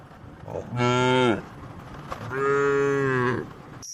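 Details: Tame cattle lowing while being herded to a wide field in the countryside: two drawn-out, steady moos about a second each, separated by a short pause, with quiet rural background.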